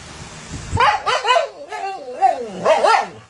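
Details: Husky complaining loudly at its owner over stolen snacks, giving a run of wavering, yodel-like talking sounds in quick bursts that rise and dip in pitch, with brief gaps between phrases.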